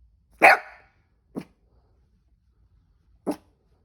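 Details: Cavoodle with the hiccups: one loud, bright bark followed by two much softer, short lower hiccup-like yelps in a quiet indoor room.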